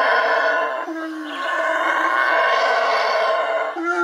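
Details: Wild Yucatan black howler monkey giving a loud, rough, continuous roaring howl with a dense buzzy tone, sustained across the whole stretch with only brief dips in volume.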